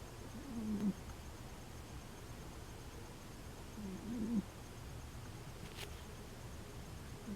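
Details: Layla, an old female dog, sleeping and snoring like a freight train: two growly, rumbling snores about three seconds apart, each swelling then cutting off, with a faint tick and steady room hum between.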